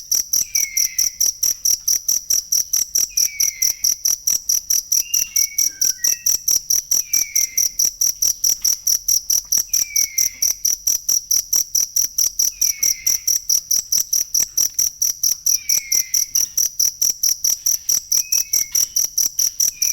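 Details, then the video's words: Jangkrik, a cricket, chirping as masteran material for teaching songbirds: shrill, evenly pulsed beats several times a second, with short, faint whistled slurs from birds spaced every few seconds behind it. "ASLI SUARA JANGKRIK BUAT MASTERAN BURUNG"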